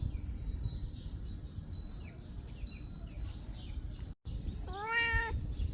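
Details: Domestic cat meowing while grabbing food: one clear, slightly rising-then-level meow near the end, preceded by low rumbling background noise and faint higher chirps.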